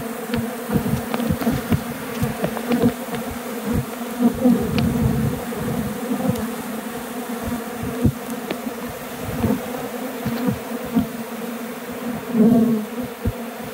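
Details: Honey bees attempting to abscond, a swarm airborne between a tree and the hive box of a recent removal; dense, loud, unbroken droning hum with frequent sharp buzzes of bees flying near.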